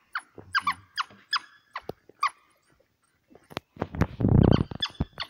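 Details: African wild dogs during a kudu kill in Hwange National Park near Gwango; high squealing twitters in fast bursts, then a brief pause and a loud low rumbling struggle noise followed by more chirps.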